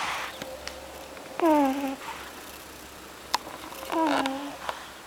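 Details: Sleeping pug named NaNo gives two whistly snores about two and a half seconds apart, each a short tone falling in pitch, with faint clicks and soft room noise around them.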